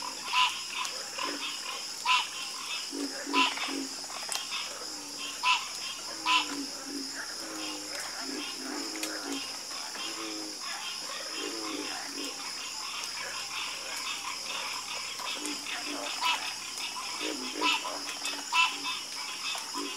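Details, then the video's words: Many frogs call together in a calming chorus: overlapping low croaks and rattling pulses mix with sharper, louder notes every second or two. A constant high-pitched buzz fills the background. "Calming Sound Of Harmonious Frog Croaking"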